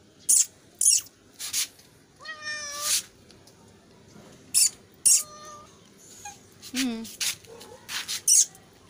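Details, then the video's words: Kittens crying for food with several short, bright meows, one ending in a low drop. Sharp crackling bursts and rustling noises fall between the calls. "Cat Sound for food | kittens meowing"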